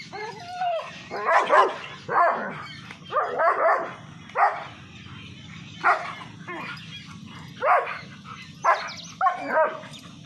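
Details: Aggressive dog among a German Shepherd and two Labradors: loud, harsh barks repeated about every second, some doubled, with a low steady hum underneath.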